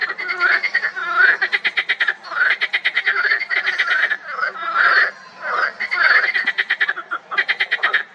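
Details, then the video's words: Several marsh frogs calling together in a spring pond, giving rapid ratcheting pulse trains and throaty, chuckling croaks that follow one another closely in a steady, busy chorus. "Frisky Frogs Croak So Loud!"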